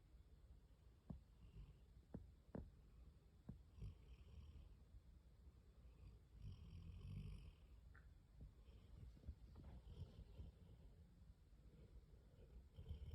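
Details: A sleeping Weimaraner snores on a couch in low, rumbling breaths that swell and fade every few seconds.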